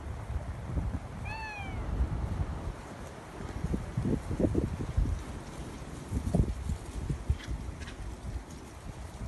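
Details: A cat wanting to be let out gives a single short, arching meow early on, then low rumbling, bumping noises and faint rattles fill the rest.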